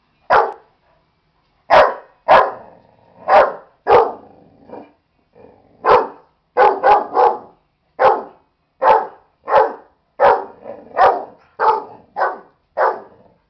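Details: Buddy, a dog worked up over a stuffed animal, barks repeatedly in a fast, uneven series of short harsh barks, some doubled or tripled, roughly one every half second to second.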